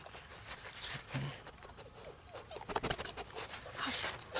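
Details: Ten-week-old Bernese Mountain Dog puppy Dio, born 19 May 2013, in summer 2013: brief, faint whimpers and small yips amid scattered clicks and rustling, with a sharper sound near the end.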